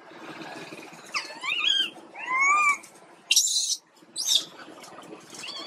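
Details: A sick baby monkey named Quinton gives a run of high, whistled cries that rise and fall, followed by two short, harsh squealing bursts and a fainter closing call.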